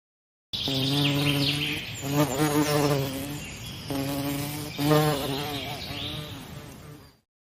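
A bee buzzes steadily, a low droning hum that swells louder as it passes close.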